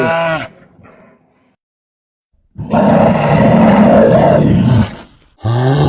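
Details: Grizzly bear giving a harsh, noisy roar that lasts about two seconds, broad and rasping with a deep rumble, framed by brief tonal snatches of calling before and after a silent gap.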